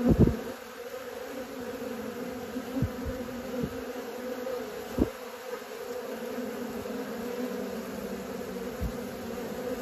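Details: A swarm of honey bees learning to fly gives a continuous humming drone with stacked overtones, a couple of sharp knocks near the start and a few soft thumps later.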